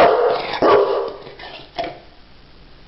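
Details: Dog conversing with its human in a playful exchange, giving a quick tonal whine, then a louder cry near the second mark and a short fainter yelp later, with quiet gaps between.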